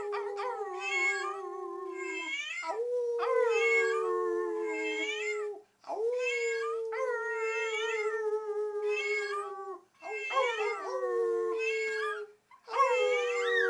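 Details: Bella, a Teacup Chihuahua, howls along with a meowing cookie jar while family members howl in the background indoors; long sustained howls repeat in bursts of a few seconds, overlaid by the jar's recurring rising meows, with brief pauses between.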